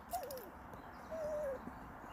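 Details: Cassie, a Shollie dog, 'talking' while wanting a chipmunk: two soft whining vocalisations, a short wavering whine then a longer level one drooping at the end, over low room noise.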